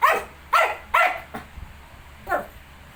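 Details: Shih Tzu kept with its 19-day-old puppies; three loud yappy barks about half a second apart, a softer fourth, then one more bark after a gap.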